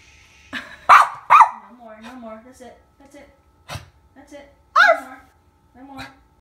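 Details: Domestic dog giving loud, abrupt barks, two in quick succession then another a few seconds later, with a person talking and a baby's voice filling the gaps between them.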